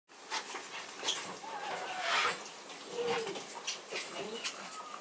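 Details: A female Maltese puppy born 29 November gives thin, wavering whimpers and squeaks against a noisy background.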